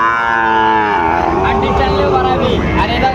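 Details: Sahiwal bull calf at Raniganj livestock market, Dinajpur, late August 2024; a loud moo opens and slides downward into a drawn-out low groan, while people talk in the background.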